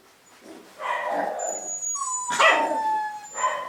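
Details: Young Cavapoo puppies, recently vaccinated, make a sustained nasal whine followed by a sharp yip and a thin high tone trailing off.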